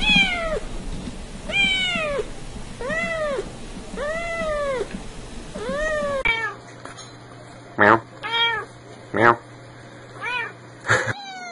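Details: Cats and kittens meowing, some loudly, others for mom: five even arched meows about once per second over a rough, noisy background, then after an abrupt cut several sharper, fainter mews over a low hum.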